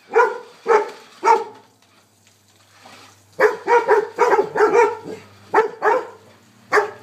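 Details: Three sharp barks ring out from golden retrievers chasing a remote-controlled car, then a quiet gap and a fast, excited string of barks.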